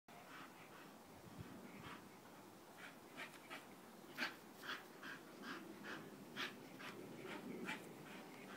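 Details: Nelson, a Bull Terrier, panting in short, uneven breathy bursts, roughly two per second, with some louder huffs midway and a low background rumble.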